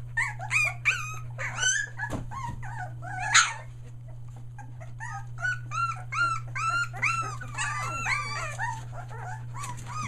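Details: Litter of Australian Shepherd puppies, one day short of three weeks old, three of them merle, in Mooresville, North Carolina; dense overlapping high whimpers and yelps chatter almost nonstop from several pups, with a low hum underneath.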